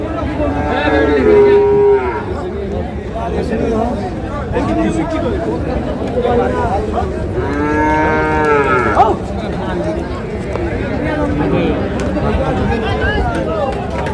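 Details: Cattle at Ambari market in Parbatipur, Dinajpur, Bangladesh, on 20 August 2026, where Holstein Friesian bulls are sold: a short moo early on and a longer, rising then falling moo midway, half buried under loud crowd noise and talk.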